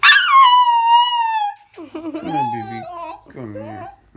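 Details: A mini pocket beagle lying in bed gives a long, tonal aroo howl that slides smoothly downward, followed by lower wavering vocal sounds.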